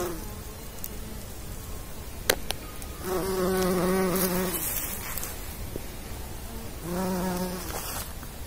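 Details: Bumblebee working as a pollinator, two separate bursts of low, even wing drone about a second and a half and half a second long, with a sharp click heard earlier in otherwise quiet surroundings.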